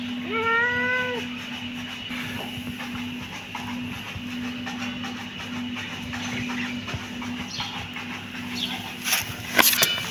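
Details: Kitten giving one clear, drawn-out meow in the first second, sliding up and then holding steady, followed by quieter faint sounds over a constant low hum, with a few sharp clicks near the end.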